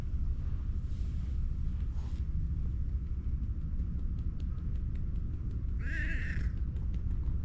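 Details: Hoarse-voiced tabby cat approaching to be petted, filmed with a GoPro; one rough, raspy meow near the six-second mark over a constant low rumble and a few faint clicks.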